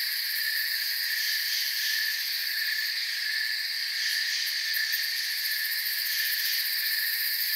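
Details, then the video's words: Many crickets chirp together in a forest setting, forming a continuous high-pitched buzzing wall of sound. The level stays even from start to finish, with faint flickering pulses at the very top. "Forest Sounds and Crickets"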